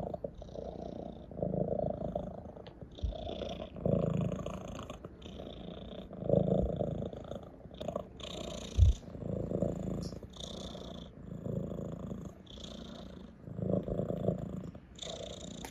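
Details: Ginger, a pet cat lying in a lap, keeps up a low, vibrating purr while pressing his head into a stroking hand. The rumble pulses louder every few seconds in time with his breathing, with intermittent soft rustles.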